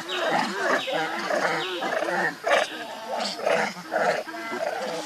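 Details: Hungry baby monkey Leo begging its mother for milk: rhythmic bursts of nasal, harmonic wails roughly twice a second, each opening with a thin falling whistle, with a second caller and background chatter overlapping.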